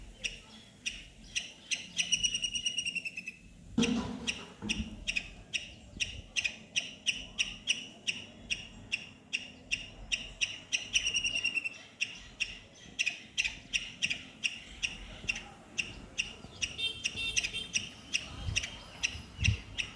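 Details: Squirrel calling from a neem tree: rapid trains of sharp, high squeaking chirps repeated several times a second, rising into denser bursts near the start and again around the middle, with a low background rumble.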